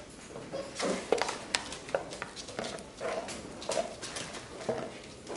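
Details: Labrador Retriever puppies from a B litter playing together in a relaxed way and fooling around indoors; short gruff grunts and low growling bursts come every second or so, mixed with sharp taps and clicks of movement.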